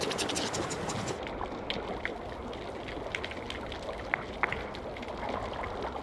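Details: Snapping shrimp crackle underwater in the Galapagos near Isabela Island, a dense, uneven ticking with a few sharper, louder snaps.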